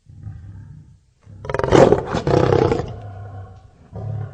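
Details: A lion's low rumbling growl swells into one loud, raspy roar lasting over a second, then fades back to a deep rumble.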